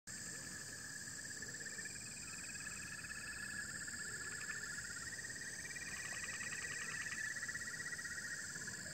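Steady, high-pitched insect chorus of continuous shrill drones with bursts of pulsed trilling.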